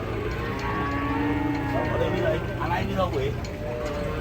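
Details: Unruly cow coming off a truck lets out a low, drawn-out moo with stacked harmonics, overlapped by human voices and steady mechanical background noise.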